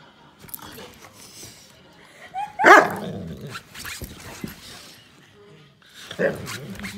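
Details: A female Saint Bernard playing on her bed gives one sharp, loud bark midway, framed by softer shuffling sounds and faint human voices in the room.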